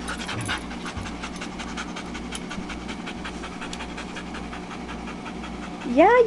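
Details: Dogs at Carrie's Critter Camp, including Tetra the Husky and Myla the Red Lab, pant in steady rapid breaths while resting between play on a hot day; a person talks briefly at the start and rises into speech near the end.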